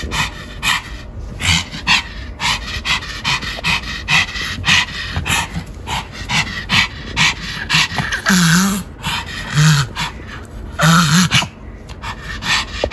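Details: Rhythmic dog panting from a Pomeranian during home grooming and ball games, with brief low whining notes slipped between the breaths in the second half.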